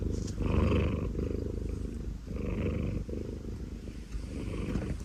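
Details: A 19-year-old cat snores with a low, buzzy rattle in soft breathing swells, the louder ones carrying a faint higher wheeze.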